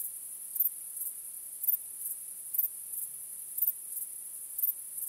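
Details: Crickets chirping on a starry night: a steady high-pitched shrill hum with louder pulsed chirps roughly once per second, no other sounds evident.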